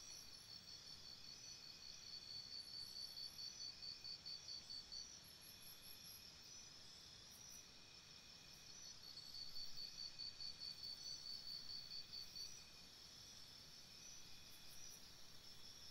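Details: Crickets calling at night near a campsite, with two long spells of fast, even high-pitched chirping separated by a quieter stretch, over a broad hiss of insects and low rumble.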